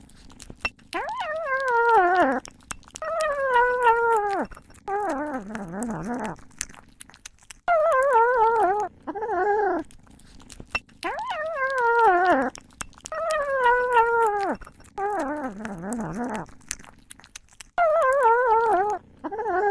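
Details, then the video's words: Cat vocalizing while eating: drawn-out, wavering meow-like mews, some falling in pitch and some trembling, come in bursts about two seconds long with short gaps, over faint sharp clicks. "صوت قطة تأكل ………The sound of a cat eating"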